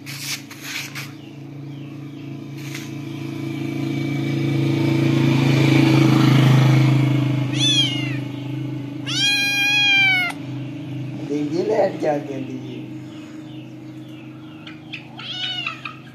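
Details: Cat with kittens: a swelling engine-like rumble first, then loud harmonic meows around eight to ten seconds, a shorter falling cry, and a last thin meow near the end.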